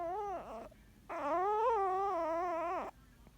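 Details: Sleeping Yorkshire Terrier puppy whose snore sounds like crying: a short dipping whine, a pause, then a long wavering, sobbing tone that slides down at its end, in a quiet indoor room.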